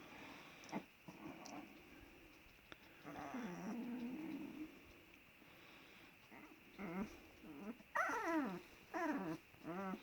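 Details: Black-headed Kangal puppies in a Turkish village, climbing over one another as they settle to sleep; low growly grumbles early, then bursts of high, wavering whines that rise and fall near the end, with human laughter nearby.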